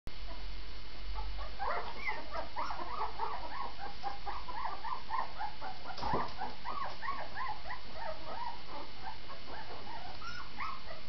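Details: Vizsla dogs: dense, overlapping high wavering whines and short yelps run continuously from start to end over a steady low hiss.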